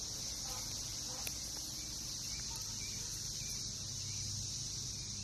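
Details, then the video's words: Periodical cicadas of Brood X emerging in a backyard in NKY, recorded June 2021. A continuous shrill whine holds at an even level the whole time, with a low background rumble beneath. "Sounds of Cicadas in NKY"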